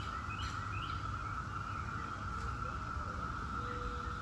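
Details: 17-year periodical cicadas of Brood X: a steady, unbroken droning chorus holding one even pitch throughout, with faint scattered bird chirps above and a low rumbling background noise.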